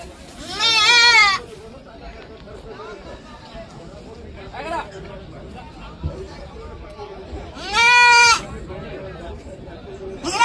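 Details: Goats grazing and feeding give loud, quavering, nasal bleats, each about half a second long with strong vibrato, near the start and again later, with fainter bleats and a background murmur of voices between.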